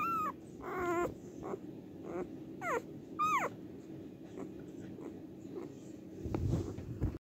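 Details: Cardigan Welsh Corgi recorded on the day of giving birth, 29 March 2024, with a few short falling whimpers and a squeaky whine, then quieter shuffling and a brief rustling burst near the end.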